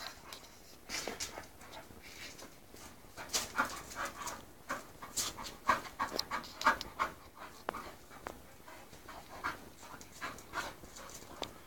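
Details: An English Bull Terrier, a female named Mush close to her second season and meeting a male, Spike, pants and snuffles in quick, uneven bursts of breathy noise.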